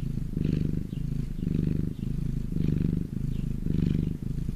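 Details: Sun-warmed domestic cat purring, a low, continuous rumble broken into rhythmic swells roughly once a second, with light breathy hiss on the stronger beats.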